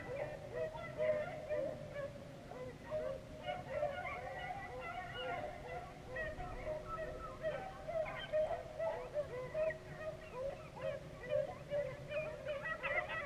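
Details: A more distant beagle pack still trailing rabbits after about six hours of running near Vera, Virginia: softer, steady, overlapping bays pulsing in irregular waves, with a faint low hum beneath.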